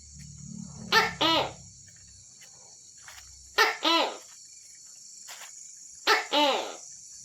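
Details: Night-time Tokay gecko giving three double-note calls about two and a half seconds apart. Each is a quick bark then a longer falling harmonic syllable, with a constant high buzzing background and a brief low rumble at the start.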